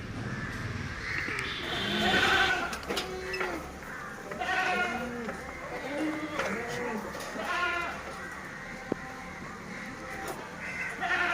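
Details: Several Sirohi goats bleating in a series of wavering, nasal calls, some rising and falling, spaced a few seconds apart, with other goats overlapping and faint background voices and music.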